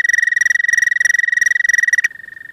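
An American toad sings its mating call, a sustained, even trill of rapid pulses on one high pitch. The trill holds for about two seconds, then stops abruptly.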